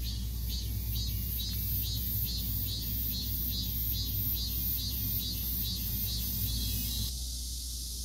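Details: Cicada calling: a steady high buzzing band pulsing in quick regular beats, about three per second, over a heavy low rumble like distant traffic; the pulsing drops away near the end.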